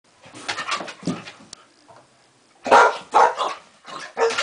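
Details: Pet dog protesting, like a child refusing to go to bed: uneven whiny grumbles and groaning yelps in irregular bursts, with a louder run of vocal complaints in the second half.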